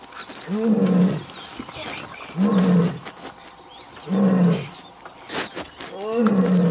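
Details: Asiatic lioness in Gir National Park, Gujarat, India, giving a series of short, deep grunting roars, each about half a second long with a rising then falling tone, repeated roughly every two seconds over faint outdoor background noise.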